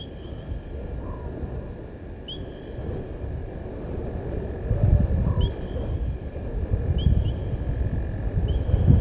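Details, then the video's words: Male lion at Gowrie dam, Djuma Game Reserve, Sabi Sand Wildtuin, South Africa, roaring after crossing the dam wall, 19:47 on 18 August 2022, from a waterhole camera; deep rumbling roars swell from midway, with chirping birds and a steady hum. "Lion-S8 Male crosses dam wall-roars-out far side Open Area"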